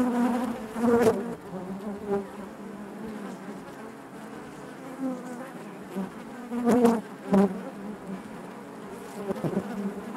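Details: Continuous buzzing of honey bees in their hive, a low harmonic drone punctuated by several louder passing buzzes and faint clicking knocks at irregular moments.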